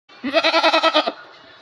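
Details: Goat. A goat bleats once, its nasal voice pulsing in a quick vibrato of about eight beats. The call ends abruptly, leaving only faint background hiss.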